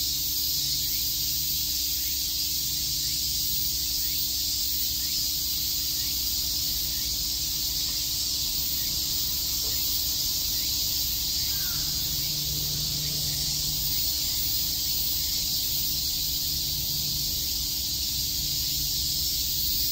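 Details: Many cicadas sing through a summer day at Shakujii Park, Tokyo, a constant high sizzling wall of sound; a soft low hum rises briefly midway, with faint distant background noise.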